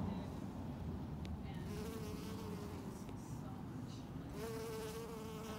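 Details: Bees pollinating mint flowers: a steady low droning hum, with individual bees passing close as clear humming tones that slide slightly in pitch, one near the start and a stronger one toward the end.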